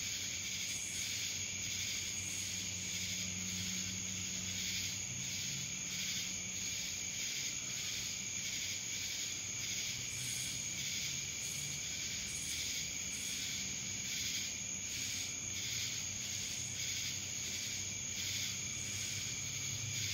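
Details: Cicada chorus recorded in Dallas, Georgia, a continuous shrill droning wall of sound with gentle rhythmic surges roughly once a second and a constant piercing high tone beneath it.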